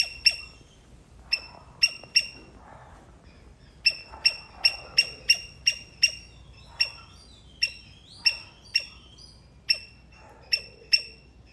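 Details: A Sri Lankan palm squirrel (Indian palm squirrel, Funambulus palmarum) calls with sharp, high, bird-like chips in uneven bursts, one to three notes at a time.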